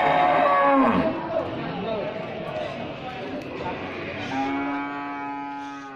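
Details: Cattle of assorted sizes at a sales site. One long, falling moo opens, low murmuring follows, and a steady, level-pitched moo sounds near the end.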